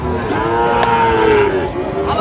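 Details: A Sahiwal bull calf at a cattle market in Kushtia, Bangladesh, 8 May 2025, gives one clear, sustained moo lasting over a second, slightly falling at the end, with market voices murmuring behind.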